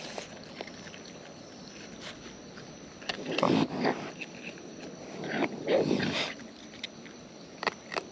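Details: Wild raccoons eating close up, chewing: scattered sharp clicks and crunches through a steady hiss, with two louder, rougher, voiced bursts of munching near the middle and the end.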